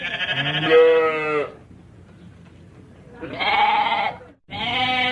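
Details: Sheep with strong, drawn-out bleats. A long quavering cry is followed by a pause, then two more bleats in quick succession, over a low murmur of background noise.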